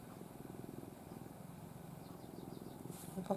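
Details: Affectionate pet cat Ai, a former stray, sleeps curled face-down in her owner's arms, giving a continuous low rumbling purr with a soft pulsing texture. A brief quiet rustle near the end.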